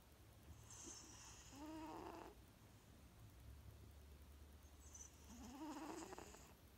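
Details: A sleeping female Maine Coon cat snores with a steady low rumble and squeaky, high-pitched, rising wheezes.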